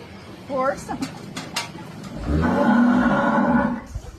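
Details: A cow being milked by hand on a village farm while a little girl is taught to milk it; a low, drawn-out moo of about a second and a half with rich harmonics, preceded by brief Portuguese speech and rustling.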